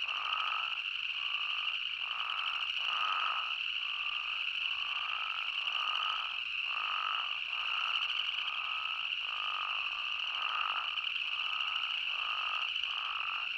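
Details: Arizona spadefoot toads call in chorus, short nasal notes repeated quickly over a steady high trill.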